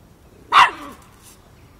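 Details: Five-month-old Miniature Pinscher puppy Chocolina, also called Chiquita, confronting a mature cat in Kiev, Ukraine, October 2013; a single sharp bark with a short falling tail, quiet room otherwise.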